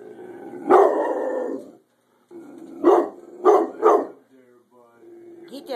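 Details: Rottweiler barking at a chicken roasting in the oven indoors; one loud bark, a pause, then three quick sharp barks in a row, with a low hum beneath and a person's voice nearby.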